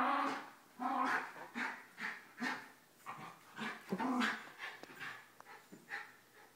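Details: Morning roughhousing among household dogs, a Mini Schnauzer aged 11 wrestling a 9-year-old Basset bitch while a 2-year-old Yorkie joins in; hoarse yapping barks and grumbles repeat roughly every half second without pause.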